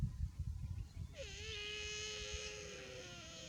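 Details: Baby buffalo calling while too hot: one drawn-out, nasal, bleating cry that starts abruptly, holds a steady, slightly wavering pitch for over two seconds and fades at the end, with low rumbling background noise before it.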